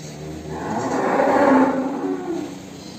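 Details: Cattle lowing in the Kandang Lembu Benggolo breeding pen, where a calf was born. One drawn-out, swelling moo peaks near the middle and fades gradually, with a faint hum underneath.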